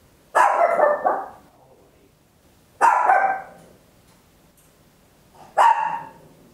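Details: Small Papillon dog recorded indoors at home on an Olympus LS-11, giving three loud, slightly drawn-out barks roughly every two and a half seconds, with quiet pauses between.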